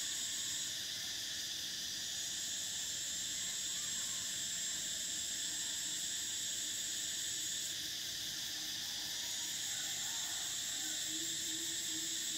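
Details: Cicadas singing in summer in Thailand: a continuous, shrill, steady buzz of high tones that never breaks, with one band switching off and on again, and faint lower chirps near the end.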